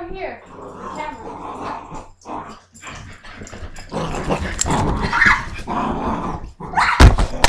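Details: Cocker spaniel running around, growling and acting crazy: rough, low growling in uneven bursts, with a person talking over it and louder scuffling toward the end.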